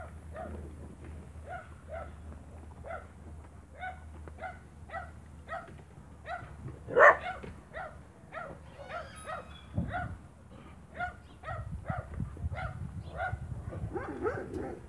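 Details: Spanish Mastiff on a farm, 1 October 2017: a steady run of short, yelping barks about twice a second, one louder bark near the middle, and low rumbling background noise with brief rustling toward the end.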